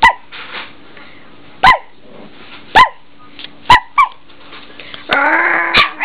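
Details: A female whippet puppy, eight weeks old and blue and white, gives short, sharp yips spaced about a second apart, ending in a longer rough, growly whine.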